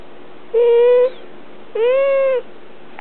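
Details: Domestic cat whining while being held: two drawn-out, even, slightly rising wails about half a second each, with a third cry starting at the end, clear harmonics and quiet surroundings.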